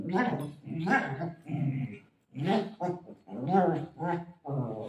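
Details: Pet golden retriever searching for and playing with its owner utters a run of short, harmonic grumbling yelps and barks, closely spaced, with one brief pause midway and a higher, strained note near the end.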